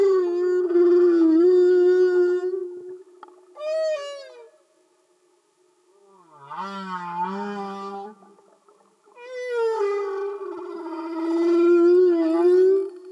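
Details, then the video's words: Singing humpback whales recorded underwater: long moaning tones held near steady pitch with rich harmonics, short rising whoops, a low wavering groan midway, and a brief silent gap before the moans resume. "Amazing singing Humpback Whales"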